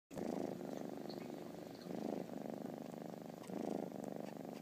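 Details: Three-month-old kitten purring while sucking its blanket, curled up against its owner indoors while a TV plays; steady low rumbling purr pulsing in long breaths, swelling roughly every one and a half seconds.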